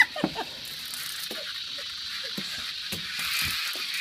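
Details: Many cicadas keep up a steady, shrill buzzing drone, swelling slightly toward the end, with faint clicks and low human voices underneath.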